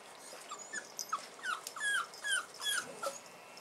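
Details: Soft, thin whimpers from Bull Terrier puppies on their first outing, 18 January 2015: quick squeaky notes that bend up and down, coming in a fast, uneven series over a quiet background.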